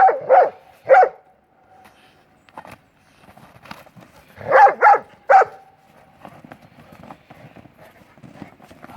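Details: Two pit bull mastiff brothers play ball in snow during Maryland's 2016 blizzard; a few sharp barks at the start, then a quiet stretch with scuffling, then a burst of three barks, followed by faint rustling.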